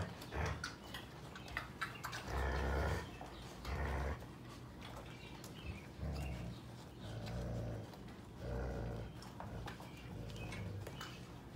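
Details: Several Sheepadoodle puppies, seven weeks old and from two litters, mingle with visiting mother Pepper. Deep, drawn-out growls rise and fall in repeated bouts, with brief yelps and shuffling in a small room.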